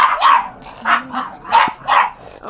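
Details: Pug, a recently adopted female, throwing a temper tantrum: four loud, sharp barks spaced about half a second apart, each rising then falling, with little background noise.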